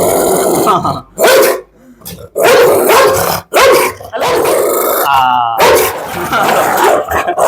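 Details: Pit Bull barking during a dog bite challenge: harsh, loud barks in quick bursts separated by brief silences. A high whining squeal comes near the end, and people talk close by.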